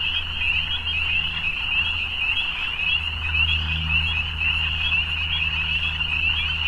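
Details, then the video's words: Evening frogs calling together in a dense, unbroken chorus of high, rapid trilling that never pauses, over a steady low droning hum throughout. "Evening Frogs"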